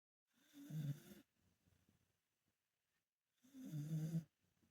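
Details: A mother dog sleeping on her back snores: two long, low, rasping inhalations about three seconds apart, each lasting under a second, with quiet breathing between them.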